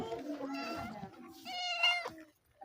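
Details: From a household where a mother cat that gave birth to four kittens is nursing and caring for them: two drawn-out, harmonic-rich mews, the second higher, brighter and stronger, over faint background noise.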